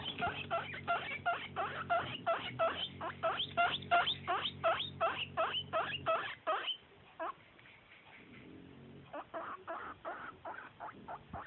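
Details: Guinea pig asking for snacks: loud, rapid wheeks repeated about three times a second for six seconds, a short pause, then a softer, steady run of the same squeals.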